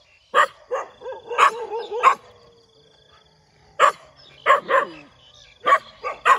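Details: Morning dog barking: a quick run of barks and yelping whines, a pause of over a second, then more single sharp barks spaced about half a second apart.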